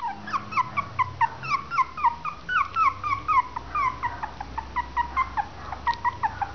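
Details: Westie/Maltese cross puppies, three weeks old, whimper continuously: high, falling squeals repeated about twice a second, clear and close, with a faint low rumble beneath.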